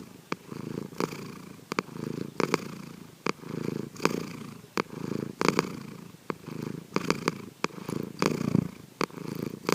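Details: Snoring of Sankichi, a pet cat, while asleep, recorded in secret: faint, continuous low rasping pulses under a hissy background, irregular breaths about forty per minute with scattered clicks.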